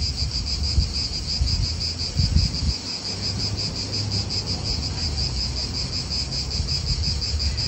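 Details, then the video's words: Cicadas calling in an Italian park: a steady, high, shimmering buzz with fast regular pulsing, under a low rumble of wind and nearby traffic. "Cicadas wind real atmosphere in an Italian park"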